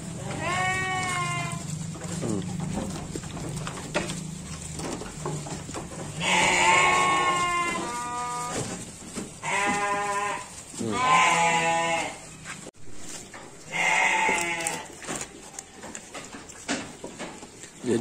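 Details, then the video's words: Garut sheep given supplementary feed, bleating in four separate bouts: loud, harmonic, wavering cries each lasting one to two seconds, with a voice speaking at times in between and a steady high hiss throughout. "Domba Garut"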